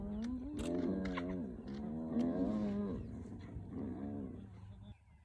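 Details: Clan of spotted hyenas harassing the young Nkuhuma male lion one early morning in South Africa's northern Sabi Sands, Elephant Plains; several drawn-out, quavering calls rise and fall in overlapping waves, then fade to quiet near the end.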